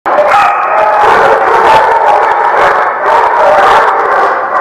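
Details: Dogs at The Barking Lot, recorded 1/9/17. They howl in a dense, continuous chorus of overlapping, wavering voices that stays loud throughout.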